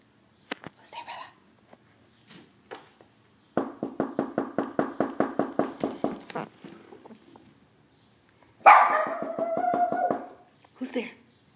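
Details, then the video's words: Shih Tzu howling, preceded by scattered soft clicks and a fast run of rhythmic pulsing sounds, then one strong sustained wail holding a steady pitch for almost two seconds, ending in a short yelp. "Shih Tzu: howling"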